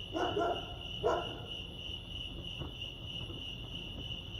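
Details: Crickets chirping at Lake Arrowhead, California: a steady, high, ringing trill runs throughout, while two short, rougher, lower bursts break in near the start and again about one second later, over a soft low rumble.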